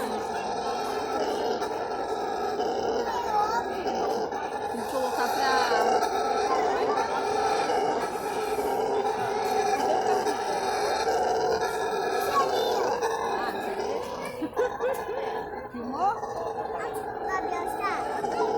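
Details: Long, unbroken rumbling roar of a brown howler monkey screaming at the Guarulhos zoo, rough and deep with stacked tones, nearly constant in loudness, and a few short sharp chirps scattered through the later part.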